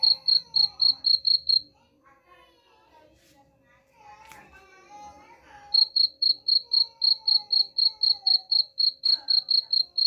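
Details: Cricket chirping, offered as a sound to drive rats away: high, clear pulses about four per second. A pause of a few seconds holds faint voices and murmurs before the steady chirping resumes over a low constant hum.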